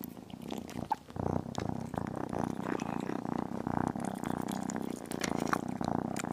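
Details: Small kitten eating chicken and beef, purring throughout: an unbroken low vibrating drone with a dense pulsing texture, overlaid by frequent sharp chewing and smacking clicks from the meal.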